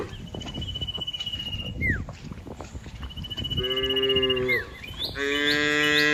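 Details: Cows walking and grazing in green fields give two mid-pitched moos in the second half, each about a second long. Before them a steady high whine and a falling chirp run over background noise.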